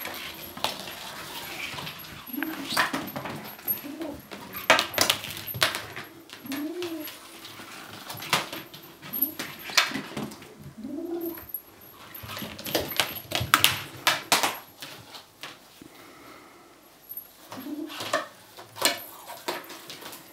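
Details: Kitten trying to get away with a toy, answering threats with owl-like sounds: low hooting moans and growls repeated every second or two, mixed with sharp clatter and rustling from the toy and handling indoors.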